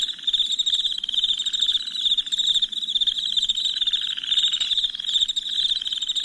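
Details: Crickets chirping at night as a relaxing sleep soundscape: a dense, continuous high-pitched trill with rapid pulsing, overlapping callers forming a steady shimmering chorus with slight swells in loudness.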